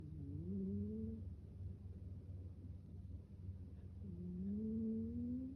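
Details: Konatsu, a sleeping American Shorthair kitten, snores softly at home. Two drawn-out, faintly whistling breaths rise slowly in pitch about four seconds apart over a steady low mechanical hum.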